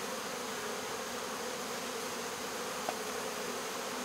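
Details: Swarm of honey bees being caught and removed from a local baseball field, a dense pile of bees; steady broadband buzzing hum throughout, with a single brief click near the end.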